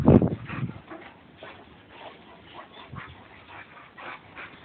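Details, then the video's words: A Boxer and a Labrador mud wrestling in play: a loud, low, rough growling burst at the start, then softer scattered grunts and muffled scuffling noises. "Boxer & Labrador mud wrestle"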